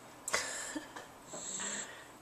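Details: Awake Jack Russell terrier, lying relaxed, making a snoring sound: a few soft clicks and sniffs, then one drawn-out raspy, hissing breath.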